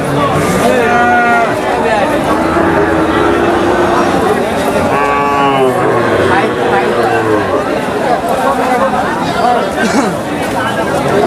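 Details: Cattle at a Bangladeshi cattle market, where Friesian cows are sold, lowing in drawn-out moos with stacked harmonics among loud crowd chatter and talking.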